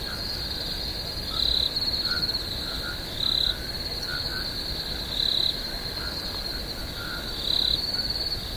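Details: Night swamp crickets give a continuous shrill ringing trill, with four louder pulsed swells spaced roughly two seconds apart and soft lower chirps in the background.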